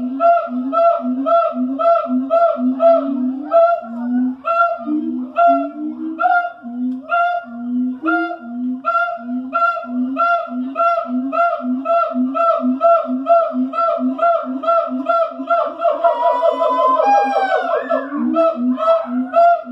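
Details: Siamangs, primates from Asia, calling in the morning at the Columbus zoo: loud rhythmic series of hooting, barking notes about twice a second, building into a rapid rising climax of overlapping whoops near the end.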